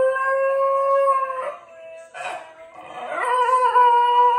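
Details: Basenji. A Basenji wails its baroo, a sustained tonal howl that holds steady, cracks into short rasping yodels, then swells again on a slightly lower note. The voice is clear and rich, with little else audible.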